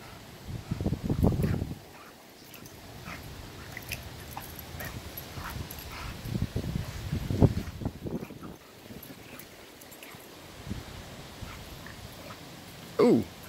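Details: Bulldog and vizsla playing together: low, rumbling growl bursts around the first and seventh seconds, quieter scuffling between, and a short high whine just before the end.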